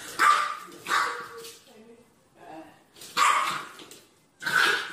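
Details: Puppy barking in four high-pitched, clipped barks, two close together at the start and two more after a short pause, with softer whines in between.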